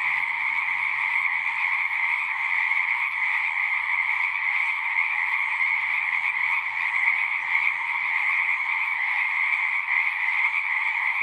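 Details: Many frogs singing together, a seamless buzzing, trilling chorus concentrated in two pitch bands, the upper one loudest, sustained at an even level with no breaks.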